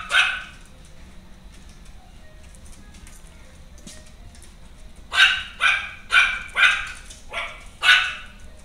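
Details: A female Maltese, born 25 July, barks once at the start, falls silent for several seconds, then fires off six bright, yappy barks in quick succession, each short and high-pitched.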